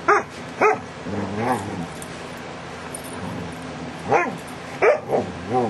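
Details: DaVinci, a dog, in July 2011, gives two quick sharp yelps, then a wavering groan, a long quiet stretch, and another cluster of yelps and curving grumbles at the end.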